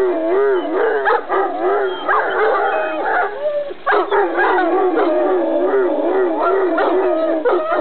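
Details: Irish Wolfhound giving a greeting: a long run of wavering howls broken by sharp, bright yips and whines, swooping up and down at mid pitch with frequent abrupt breaks.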